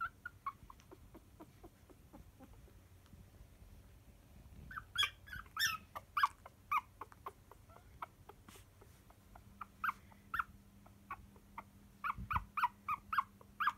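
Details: Poodle puppies asleep and dreaming make faint soft squeaks, then bursts of louder whimpering yips in clusters, irregularly spaced, over a low steady hum.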